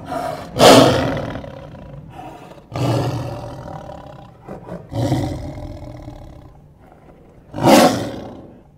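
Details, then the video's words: ['Lion roaring, a call the lion uses to communicate location, show strength and intimidate rival prides: four short, harsh, broadband roars with rough low growling between bursts, spaced roughly two to three seconds apart.'] "Lions Roar Sound Effects | Why do lions roar?"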